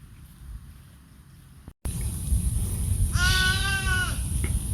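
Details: Roadside goat in India among sheep: after a brief cut, a single clear, wavering bleat lasting about a second over steady low background noise.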